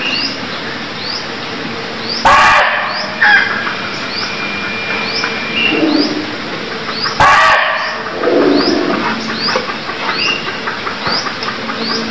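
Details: Two harsh, explosive barks of a Cambodian barking deer about five seconds apart, set in a busy chorus of short upslurred bird chirps and a steady high insect whine.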